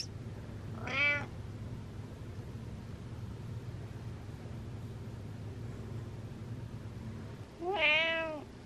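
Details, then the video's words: House cat calling for attention indoors, two short rising-falling meows about seven seconds apart over a steady low room hum. "Pay Attention Meows"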